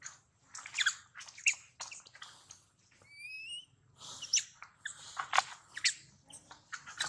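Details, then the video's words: Baby monkey Daniela calling loudly for her mother Dana after being taken away; harsh high screams in clusters, broken by a pause with a few clean, thin whistled notes, then more shrill shrieks. "Baby Monkey Daniela Cries Seizure,Loudly For Calling Mom Help From DeeDee."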